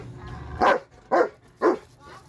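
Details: Rottweiler barking three times in a steady rhythm, roughly every half second, each bark a short, forceful burst, with faint low background hum between them.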